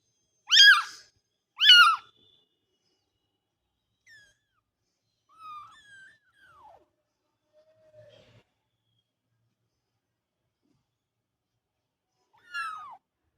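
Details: Cat (Felis catus): kittens give two sharp, high-pitched mews close together, then fainter thin cries trail off in a quiet room.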